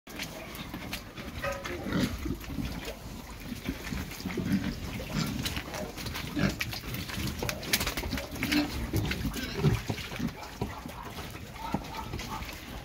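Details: Pedigree Pietrain pigs, boars and gilts, in the UK, giving low, rough grunts and snuffles that overlap steadily throughout, with scattered clatters and knocks from the pen.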